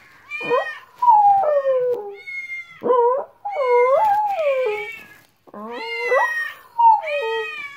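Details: Pet dog reacting excitedly to weird sounds indoors, giving a run of tonal whining howls that bend up and down, some sliding downward, in short bursts separated by brief pauses.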